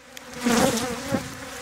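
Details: Bee buzzing recorded in Thessaloniki, Greece, on 13 October 2017 while venom was collected; a humming drone swells loudly in the middle with a wavering pitch, then settles into a quieter continuous hum.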